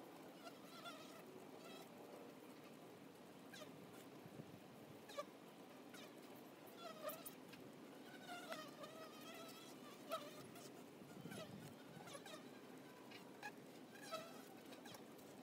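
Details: Flying honey bees crowding a hive entrance make a continuous droning hum, overlaid by passing whines that swell and fade every second or two, with occasional light clicks.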